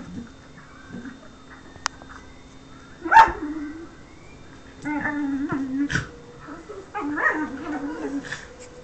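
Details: Whippet Lux wanting affection: after a sharp knock, soft low moaning whimpers and a short yip rise and fall in brief bursts, fairly quiet, with little background noise.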